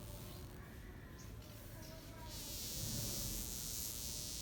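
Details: Burnt wasp with droopy wings, unable to fly, giving a thin, wavering drone with faint tones near the middle range, beneath steady broadband hiss that grows louder halfway through.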